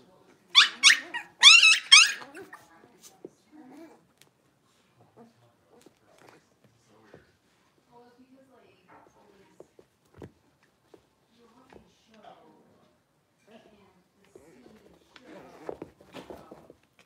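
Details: Blenheim Cavalier King Charles Spaniel puppies, six weeks old, from a litter of five in an indoor pen, let out a quick cluster of shrill, piercing yelps at the start, then only faint scattered knocks and soft rustling follow.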